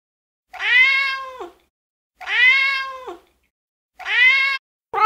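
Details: Domestic cat meowing to attract other cats: three drawn-out, clear harmonic meows about every two seconds, each rising slightly then falling at the end, with a fourth beginning as the recording ends; otherwise quiet.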